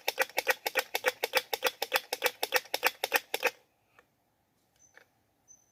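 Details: Squirrel calling while seeking a mate: a fast, harsh run of clicking pulses, about five a second for three and a half seconds, then stopping, leaving a few faint high chirps in a quiet background.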